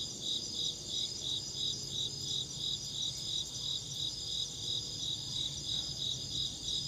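An insect chirps in steady, high pulses, about three each second, over a faint low hum.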